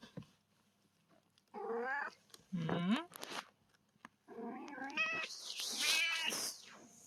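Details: Rescued stray kittens playing: several high, wavering meows in short bursts separated by quiet pauses, some rising then falling, with a hissy high-pitched rustle near the end.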